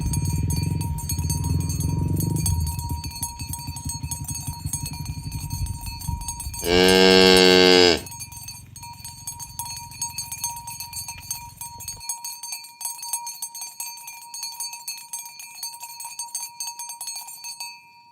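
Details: Morning cattle herding toward the pen on a village road. One loud, rich moo lasting about a second. Clanking cowbells and hoof and movement noise are heard, then quieter bells continue.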